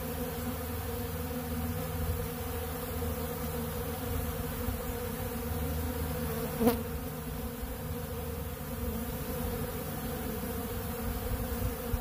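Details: Sustained hum of a crowd of honeybees feeding on bee pollen from a large blue feeder. The low, unbroken buzz is steady throughout, with one sharp tick midway.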